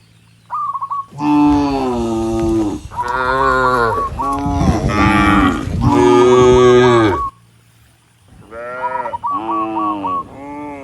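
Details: A herd of dozens of tame cattle moving up a rural road to the barn moo to call other cattle; loud overlapping moos run for six seconds, pause, then softer shorter moos follow, with faint chirps.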